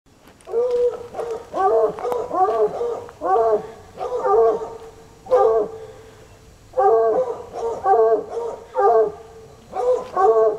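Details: Two untrained coonhounds, Sunny and Hazard, baying for hours outside in the country; rich harmonic baying notes in uneven clusters, roughly one burst every few seconds, voices overlapping.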